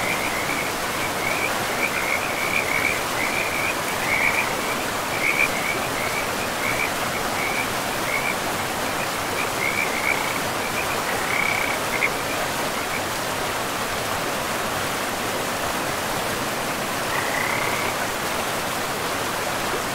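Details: Forest river frogs croak in a quick high series for about twelve seconds, fall silent, then give one brief burst near the end, all over an even rushing river backdrop.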